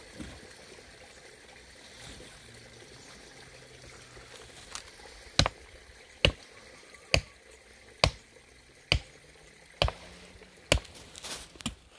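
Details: Water trickles steadily while sharp drip-like taps fall roughly once a second, with no animal voice.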